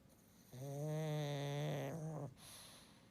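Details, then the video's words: Sleeping pug snoring, one long steady droning snore lasting nearly two seconds with a strong buzzing low tone, then a soft hiss of breath. "pug snoring"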